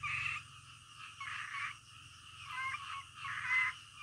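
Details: A frog croaking in the middle of the night: harsh, raspy bursts about half a second long, separated by pauses of a second or more, over quiet steady night background noise.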